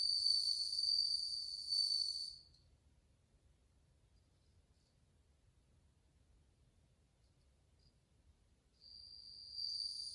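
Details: Many bell crickets singing in August 2020, bright high ringing trills lasting two seconds, then near silence until the bell-like ringing resumes in the final second.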